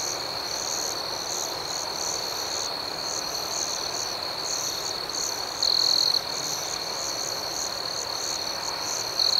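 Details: A night chorus of crickets: a constant, piercing high trill overlaid with rhythmic pulsed chirps. A nearer insect trill swells louder for about half a second midway and again at the end.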